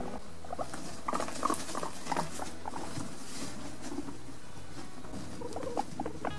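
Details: A guinea pig chatters with soft, quiet squeaks over a low rustling patter, a relaxed, low wheek made while exploring or playing, showing contentment, and used for friendly interaction with other guinea pigs.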